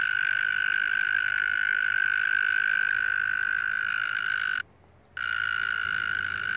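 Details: A tiny frog with a loud voice, encountered while walking home, gives a sustained, flat, buzzing trill with strong overtones. After about four and a half seconds there is a brief abrupt silence, then the same trill continues.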